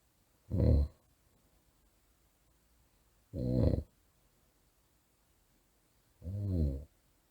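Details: Small poodle snoring surprisingly loudly at night indoors: deep, rumbling snores with a rattling low buzz, three evenly spaced bursts roughly every three seconds, near silence between breaths.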